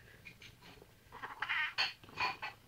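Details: Pet cat Sammy, indoors, sitting in a chair it has taken while its owner asks it to move, gives short harmonic chirping meows in a quick run, mixed with brief speech.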